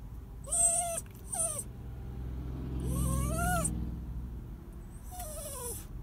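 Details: Crying dog giving four drawn-out, nasal whines that rise and then fall, the longest near three seconds, with a low rumbling noise underneath the middle of the sequence.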